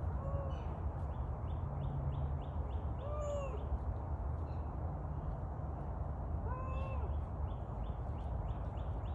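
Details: Captive Canada lynx at a big cat rescue sanctuary calling with short, arched, mew-like notes, three calls spaced about three seconds apart, half-buried under a steady loud rushing noise.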